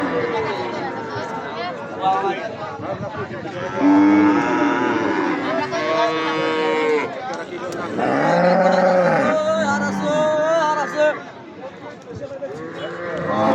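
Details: Cattle at a busy cattle market before Eid al-Adha at Jamalpur-Chourasta, Gazipur, Bangladesh. Several loud, drawn-out harmonic moos, some rising then falling and lasting about a second or more, over crowd chatter and background music.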